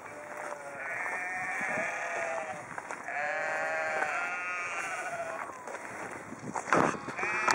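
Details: Sheep in Haugesund, Norway, bleat in long, wavering, nasal calls, one after another.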